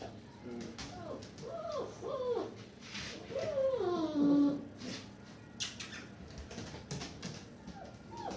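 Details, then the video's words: German Shepherd puppies, one just stepped on by accident and comforted, a male: repeated wavering whines and cries, rising then falling, about two per second, with a man talking softly in Arabic and rustling. "German Shepherd puppies"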